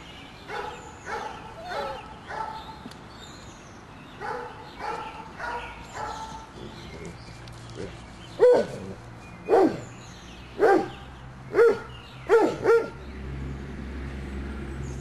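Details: Doberman puppies at five weeks old bark in bursts. Soft, tonal yaps come in quick runs at first, then sharper, louder barks ring out singly or in pairs about a second apart.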